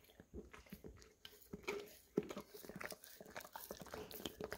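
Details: Sticky tongue smacks and biting sounds as an English cream Golden Retriever cleans peanut butter from a nearly empty jar in a small room, Samsung Galaxy S10e recording; irregular clicks and one sharp knock.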